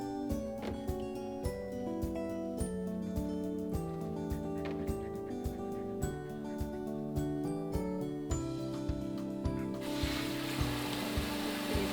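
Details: Upbeat background music with a steady beat plays throughout, and a hissing, dryer-like blowing noise joins in near the end.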